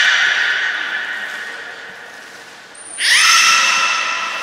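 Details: A beluga whale at Port of Nagoya Public Aquarium during its morning health check before a public training session, 19 May 2021, gives long, bright, whinny-like squealing tones that swell louder partway through.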